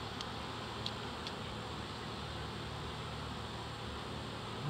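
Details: Large early-season reproductive swarm of honey bees, close to seven pounds, being captured in Dale County, Alabama, after a sugar-water spray; a continuous low, even drone fills the clip, with a few faint clicks high above.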